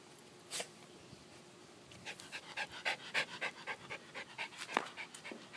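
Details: Schipperke dog panting after hunting for an Easter egg and getting a treat from inside it; quick rhythmic breathy pants, about three or four per second, begin after a short pause, with a brief spoken voice near the start.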